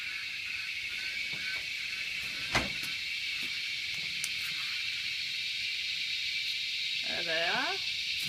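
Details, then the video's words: Dense cicada chorus forms a loud, unbroken high-pitched hiss for the whole stretch, with a single sharp knock and a brief human voice near the end. "Cicada attack"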